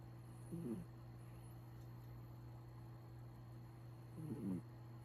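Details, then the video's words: Sleeping cat snoring softly, with two brief raspy breaths near the start and the end, separated by quiet, over a steady low electrical hum. "Cat snoring"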